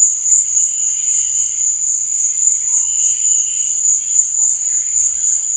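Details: Night-time cricket chirping, a continuous piercing high trill with fast, even pulsing throughout, over a faint lower buzzing layer; nothing else stands out.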